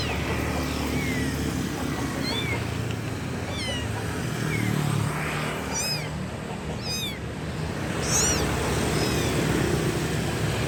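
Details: Kitten crying for its mother: a few thin early meows, then a cluster of sharper high arched calls near the end, partly masked by a continuous rumbling, vehicle-like noise.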